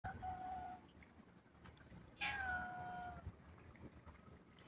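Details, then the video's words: Kitten meowing twice: a steady, level mew lasting under a second, then after a pause a louder, longer meow that starts high and slides down, with a low background rumble throughout. "Cat sounds meowing | kittens"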